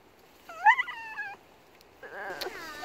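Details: Female French bulldog on a countryside walk, screaming at a group of bold cows. Two high, strained, wavering cries rich in overtones: the first lasts nearly a second, the second is shorter and breathier, with a quiet gap between.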